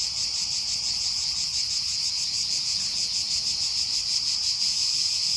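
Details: A chorus of cicadas in summer at Aghios Kosmas, Helliniko, Athens, gives an unbroken, high, shrill buzzing drone with quick gentle pulsing, over a low rumble of distant background noise.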